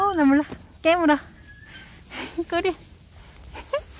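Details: Young mixed-breed country puppies give high wavering whines and yelps in short bursts, about four over a few seconds, some rising and falling, others clipped, with quiet gaps between.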